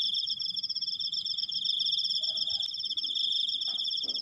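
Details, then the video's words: Cricket keeping up a long high-pitched trill of rapid, evenly pulsed chirps at constant pitch, with a short faint squeak and a couple of soft knocks behind it. "suara jangkrik, krikkkkkk panjang"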